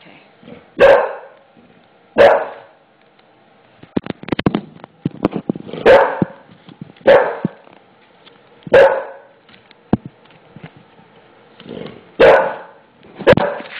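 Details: Male English Bulldog, mad and petrified after noisy installation of a new floor, barking at it: six loud, deep single barks spaced one to three seconds apart, with a burst of sharp clicks and taps in the middle.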